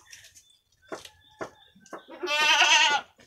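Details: Two brown Jawarandu goat kids, about one week old, playing in their pen on 6 November 2021; a few short clicks and knocks, then one loud, wavering, nasal bleat of nearly a second near the end.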